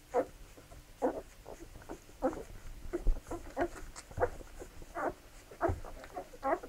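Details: Labrador Retriever puppies at feeding time, giving short mid-pitched squeaky whines in irregular bursts roughly once a second, with faint low thumps in between.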